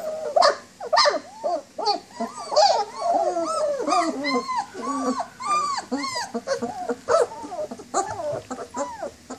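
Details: Several German Shepherd puppies, 19 days old, walking and playing while whining for mom, a dense chorus of rapid, looping high whimpers and squeals overlapping almost continuously, each rising then dropping in pitch.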